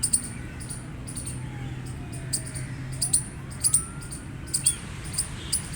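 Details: A gray squirrel gives loud, abrupt chirps, sparse at first and then bunched in quick pairs toward the end, over low droning background noise and faint sliding tones.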